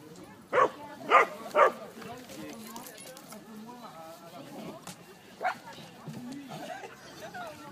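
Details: Three-month-old Border Collie puppy at its first puppy school session, 12 March 2016: three quick, sharp barks in a row early on, a single later yelp, with people talking and general room noise throughout.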